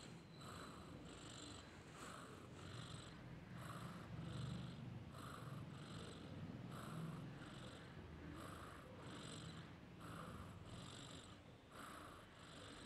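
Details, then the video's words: Sleeping domestic cat snoring softly: quiet, rhythmic breathy rasps with a low purring rumble, repeating roughly every second and sounding close and hushed. "SNORING CAT"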